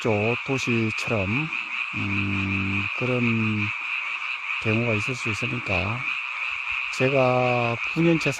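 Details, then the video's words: Seasonal frog chorus at night in a mountain village; flat, droning croaks alternate with quick swooping ones, in a rapid uneven series, while a continuous thin shrill chorus fills the background. "개구리 소리"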